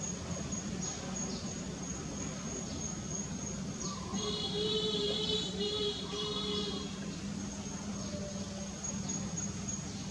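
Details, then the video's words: Vegas, a mother monkey with baby Vigo living in the jungle, cries unhappily: a sustained, wavering whine broken into three segments over about three seconds, with a steady insect drone throughout. "MAMA VEGAS REALLY UNHAPPY AND CRIES LOUDLY AGAIN"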